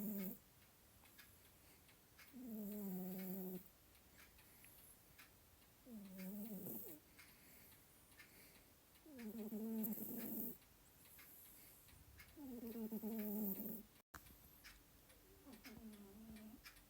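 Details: A sleeping male domestic cat snores, undisturbed by a ticking clock. Buzzy, humming snores of about a second each come roughly every three to four seconds, five or six in all, with the clock ticking steadily between them.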